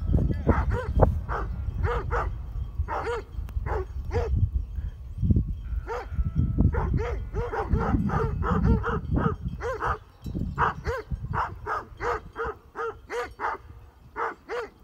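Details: Great Pyrenees sheep dogs guarding a flock near Heber, Utah, facing mountain bikers: sustained volleys of deep, resonant barks, roughly two per second, rising and falling in intensity, with low wind noise throughout.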